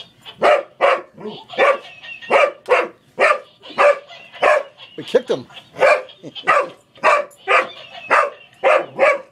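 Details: Rapid, insistent barking from Boomer, an English Springer Spaniel, as he wrestles a toy monkey that laughs at him. There are roughly twenty short, harsh barks in quick succession.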